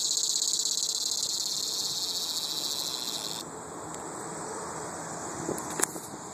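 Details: Dogday cicada giving a shrill, high continuous buzz with a fast pulsing texture, loud for about three and a half seconds before dropping to a softer, thinner drone; a couple of faint clicks near the end.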